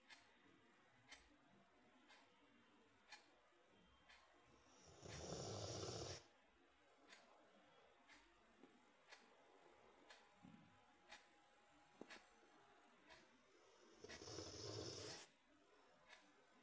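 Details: Sleeping Rottweiler snoring loudly indoors: two long, harsh, rasping snores roughly nine seconds apart, each lasting about a second, with a quiet room and faint regular ticking clicks in between.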